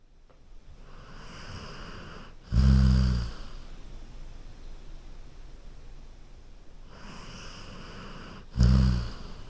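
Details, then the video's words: Golden Retriever asleep on a couch, snoring: two deep, rumbling low snores about six seconds apart, each lasting under a second, with soft breathing hiss between them in a quiet room. "A Golden Retriever Sleeping & Snoring on a Couch"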